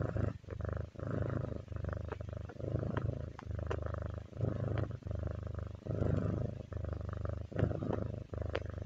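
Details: Relaxed pet cat purring continuously, a low rumbling throb that swells and dips in rhythmic breathing cycles, roughly a dozen bursts with brief gaps between them.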